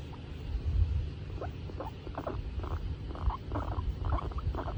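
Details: Female skinny guinea pig called Tomato, happy as she is petted, gives a run of brief soft squeaky chirps, roughly two or three per second, above a constant low background hum.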